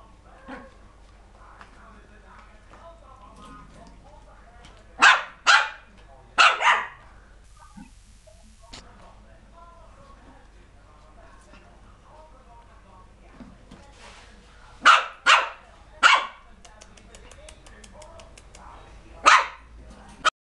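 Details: Poodle puppy barking in short bright bursts, a pair near five seconds, three around fifteen to sixteen seconds and one near nineteen, with soft voices murmuring between the barks indoors.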